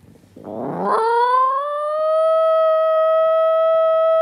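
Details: Italian Greyhound, a pet dog that seldom barks, starting with a short rough whine that rises into one long, steady, pure howl held for about three seconds.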